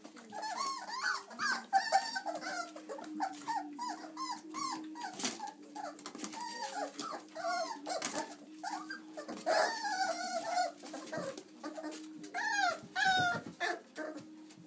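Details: Six 26-day-old chocolate Labrador Retriever puppies, running around and climbing out of the whelping box to play, squeak, whine and yelp in a rapid, overlapping jumble of high calls.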